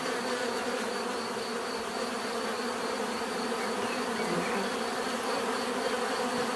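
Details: Many bees hum together in a thick, unchanging drone; individual passes swell briefly within the steady buzz while a faint high whine runs beneath.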